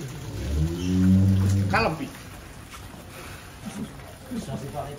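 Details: Giant cattle kept in a barn at a farm in Wonosobo, Indonesia, some weighing up to 1.3 tons: one deep, drawn-out low moo rising and falling over about a second and a half, followed by people talking in the shed.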